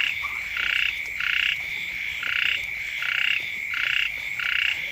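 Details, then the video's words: Frogs and small frogs chorus next to a house early in the rainy season. Harsh pulsed croaks repeat at an uneven pace of roughly one and a half per second, with a constant shrill hum behind them. "เสียง กบ เขียด ร้อง อยู่แคมบ้าน"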